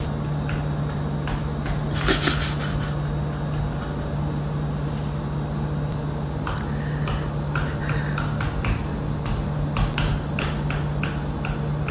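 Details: A steady electrical hum runs under scattered clicks and taps, and no animal is heard.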